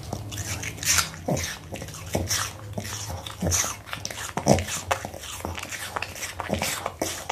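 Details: Close ASMR recording of a smiling Pomeranian dog enjoying an apple: loud, bright crunches of biting into fruit, steady chewing in rapid succession, with a constant low background hum.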